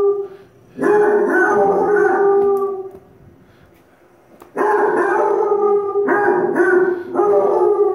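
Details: Doodle the dog howling along with Basset Hounds on TV: loud, harmonic howls in several bursts separated by a quiet gap, the later ones broken into shorter pulses, with music from the television.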